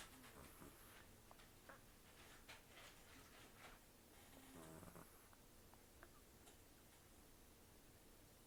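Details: Sleeping rescued cat Taro, estimated 10 to 14 years old, rescued in October 2024, nearly toothless from periodontal disease and long outdoor life, snores and breathes heavily through the nose; soft, rough, breathy snores indoors over a quiet hum.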